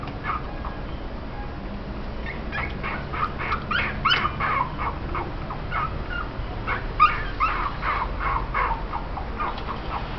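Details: Japanese Spitz puppies just over two weeks old giving a busy run of short, high, squeaky yips and whimpers, irregular and overlapping, several per second, over a steady low background hiss.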